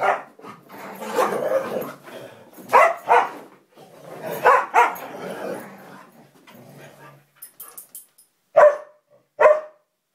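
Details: Samoyed and Siberian Husky play-fighting: noisy tangled growling and scuffling with overlapping barks, easing off before two loud isolated barks near the end.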